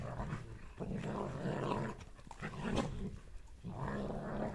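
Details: Two German Shepherds, a mother and her son, growl and grumble at each other while playing together indoors; rough, low, throaty growling runs almost continuously, with short breaks near two and four seconds.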